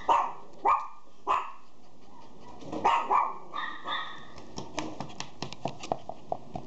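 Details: Female Golden Retriever giving four deep, hoarse barks with pauses between them over the first three seconds. A run of sharp clicks and taps follows.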